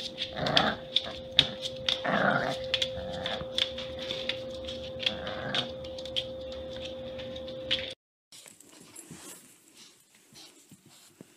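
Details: Puppies giving short, gruff growling and whimpering bursts at irregular intervals over a steady electrical hum; after about eight seconds the scene shifts to a quieter stretch of light clicks and rustling.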